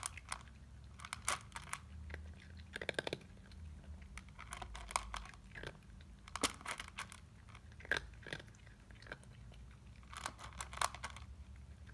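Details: Steady crunching and chewing of food in a small indoor room, with short crackly bites repeating irregularly and no animal calls.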